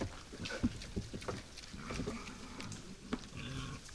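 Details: Night-time wild boars at a forest feeder trading deep, tonal grunts with several whining, higher squeals, the calls coming in quick succession over a few seconds.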